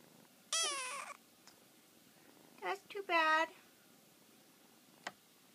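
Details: Young male kitten squeaking to its mother indoors: a short high falling mew, then a brief wavering squeak, with a woman's soft voice and a faint tap in the background.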